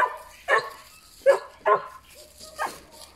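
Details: Puppies yapping in short sharp barks, about five bursts spaced roughly half a second apart, high and clipped with a faint whimper between.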